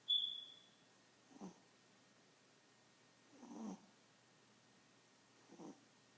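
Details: Tiny pet Chihuahua snoring while asleep, described as snoring like an old man; three breathy, rasping snores arrive about every two seconds, with a brief high whistle at the start.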